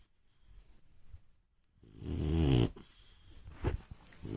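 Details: French Bulldog snoring at home: after near silence, one loud, low, raspy snoring breath swells around two and a half seconds, followed by softer snuffling and a short sharp sound.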